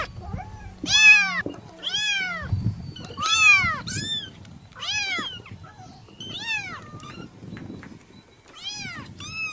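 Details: Village kitten giving a run of high-pitched arched mews, several close together then spaced out, each brief and bright, with low rumbling handling noise and soft background sounds between calls.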